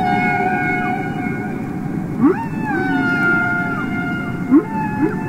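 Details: Singing humpback whale recorded underwater for a Capitol Records release: sustained harmonic tones glide slowly downward while brief rising chirps cut in twice, set against steady low background rumble.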